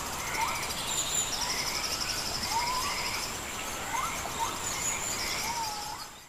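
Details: White-headed capuchin, also called white-faced capuchin: soft whistled calls, some rising and some wavering, repeated irregularly every second or so over a steady high insect drone.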